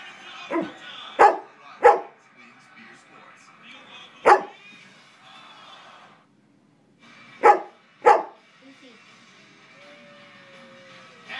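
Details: A quartet of four dogs howling in chorus, long wavering tones punctuated by short, explosive barks, two early, one near four seconds, two more around eight seconds, with a thin rising whine late on.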